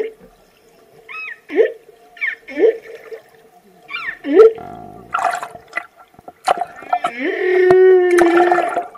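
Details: Whale calling in a series of short upswept tonal cries with strong harmonics, each rising sharply then levelling, spaced irregularly about a second apart, ending in a longer sustained moaning tone with clicks and watery noise.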